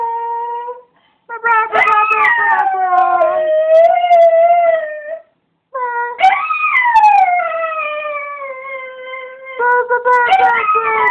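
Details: Cocker Spaniel kept as a pet, singing with its owner and imitating them: long wavering howls in three phrases separated by brief silences, each rising sharply then sliding and holding on a steady tone.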